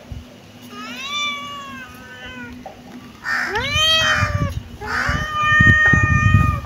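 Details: Kittens meowing over and over, several high arched cries that overlap and follow each other closely, some sliding upward, with rustling and handling noise below.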